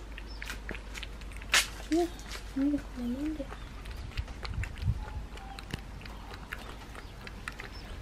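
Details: Mother cat, a stray living at a house with her kittens, calls the woman when she wants something: a brief sequence of soft, wavering meows in the middle, with clatter and low outdoor rumble around.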